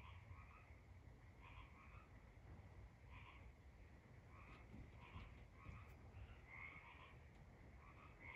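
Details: Tree frogs at night give clusters of brief, reedy croaking notes, each burst a few quick pulses, spaced irregularly about every second, with a constant low hum underneath.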